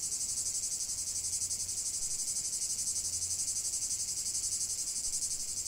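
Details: Steady cicada chorus, a loud, high, rasping buzz pulsing evenly about four times per second throughout, with a faint low hum beneath.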